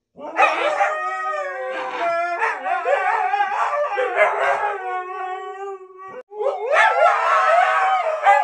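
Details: A Siberian Husky, one of three talkative pet huskies including a puppy, 'talks' back while being told off for misbehaving, in long, wavering, tuneful howls that bend up and down in pitch.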